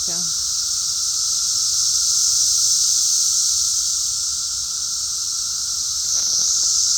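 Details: Shrill, unbroken cicada drone, an even high-pitched hiss throughout, with a brief word from a man at the start and faint voice near the end.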